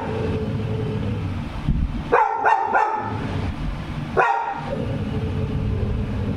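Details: Annie, a pet Labrador Retriever, gives three rapid barks, then one more after a gap, amid steady background rumble; a person keeps calling "jump" before and after.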